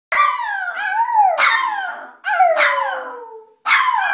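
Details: A dog named Cujo howls in long, wavering, falling cries, each a bright harmonic sweep dropping in pitch over about a second, with short breaks between, no other sounds.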